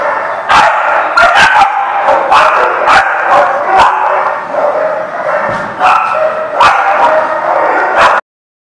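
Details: Chorus of dogs barking at a dog lot, recorded 25 March 2019: dense, continuous yapping with loud individual barks breaking through at irregular intervals, then sudden silence at the very end.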